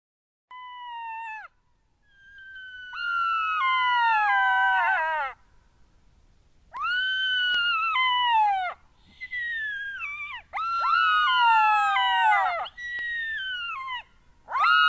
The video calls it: Jackal call.wmv